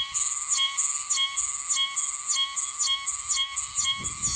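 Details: Meimuna oshimensis cicada in Yanbaru, Okinawa, where it sings until about mid-December: loud, ringing high-pitched song of quick phrases, each dipping and rising, repeated about twice per second over a steady shrill drone.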